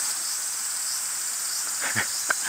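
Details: Aburazemi (large brown cicada) calling in woods near Fukuchiyama, Kyoto, on 31 July 2022 as a collector closes in: continuous hissing, sizzling buzz throughout, with a couple of soft thumps and a sharp tap toward the end.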